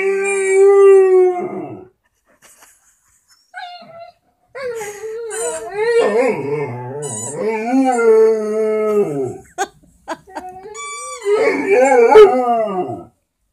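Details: Vizsla howling at a squeaky toy, repeated wavering howls that rise and dip in pitch, broken by short gaps and clicks, the longest stretch running about five seconds before a final rising howl.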